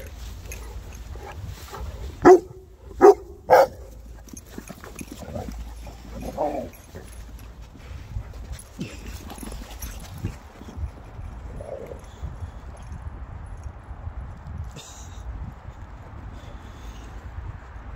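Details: Three Boerboels, South African mastiffs, at play: three sharp, loud barks close together early on, followed by softer growly grunts and a low background rumble.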